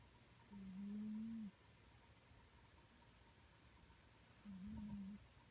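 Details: A sleeping domestic cat snoring, recorded up close: two low, steady droning tones, each about a second long, one breath about four seconds after the other, over a quiet background hiss.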